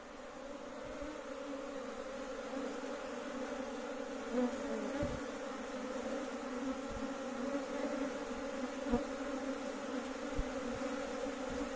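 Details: A large Western honey bee (Apis mellifera) colony kept at home gives a dense, steady hum of many bees buzzing together.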